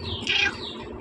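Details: One sharp, high-pitched squeak from one of Chaki's newborn Persian kittens, a pet litter of five born two nights earlier, rises briefly and fades against a quiet indoor background.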